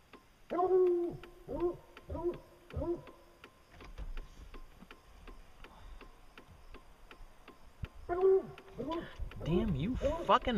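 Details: Hounds on a bear hunt giving drawn-out, harmonic bays in a quick series of four, then a pause and another cluster of overlapping bawls near the end, with faint background noise between.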